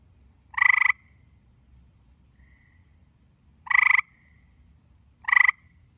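Gray tree frog giving short, loud, pulsed musical trills, each under half a second, spaced a few seconds apart.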